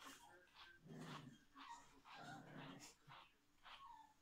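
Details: Tuppence, a female Biewer Terrier puppy, grumbles while being brushed up and microchipped indoors: a run of low, rough growling bursts broken by short gaps, with soft higher squeaks between them.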